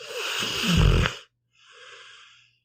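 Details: Sleeping pit bull Meatball lets out one heavy, throaty snore rising to a deep rumble, then a brief hush and a soft whistling out-breath.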